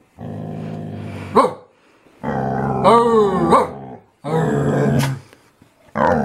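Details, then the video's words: Pippa, a pet dog, "talking" with her owner's brother: long drawn-out groaning growls, each about a second or more, rising into yelping whine-like ends, four bouts separated by short pauses, with music playing. "Funny Talking Dog"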